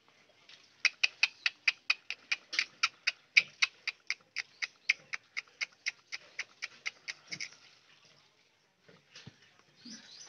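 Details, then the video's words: Village puppies play-fighting. A rapid run of about thirty short, high, squeaky yelps comes at roughly four per second for about seven seconds, then gives way to faint rustling and handling noises. "Puppies Fighting"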